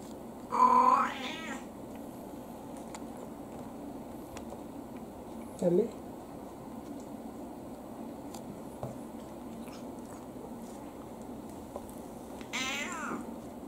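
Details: Elderly tabby mixed-breed cat Anko, age unknown, in early autumn, gives two clear meows about eleven seconds apart, the second descending, with a short soft vocal sound in between and faint ticks in a quiet background.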